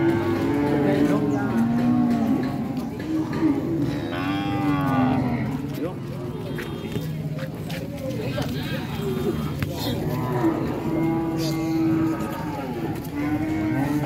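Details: Repeated low cow moos across the recording, some wavering and bending in pitch, others held flat, over steady background rumble and occasional human voices.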